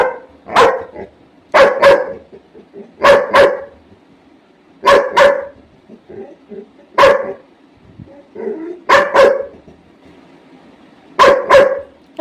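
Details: Labrador Retriever barking repeatedly for food, loud sharp barks mostly in pairs, spaced a second or two apart, with softer whines and a person talking in between.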